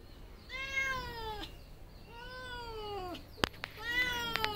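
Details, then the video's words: Three long, slightly descending meows from a cat, each about a second long and strongly harmonic, the last one overlaid by sharp clicks and taps. "Cat noises only cats can hear"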